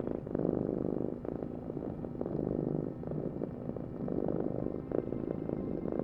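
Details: Domestic cat purring: a steady low rumbling vibration rising and easing in breath-length waves roughly every one to two seconds, with no other clear sounds.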